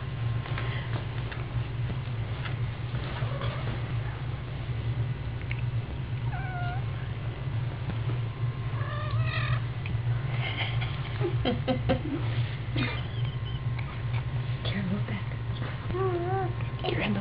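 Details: Kitten giving repeated thin, high mews, several in quick succession around nine to ten seconds and again near sixteen seconds, with clicks and a constant low electrical hum behind.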